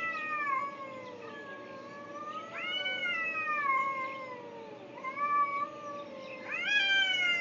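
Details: Pair of cats recorded in Afghanistan during a 2010 deployment, near tents; a string of overlapping plaintive meows, some sliding sharply upward before easing down, nearly continuous calling against a constant background hum.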